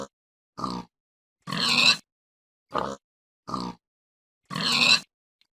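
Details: Short nasal pig grunts alternating with two longer, harsher squealing grunts, a steady pattern of five calls with quiet pauses between.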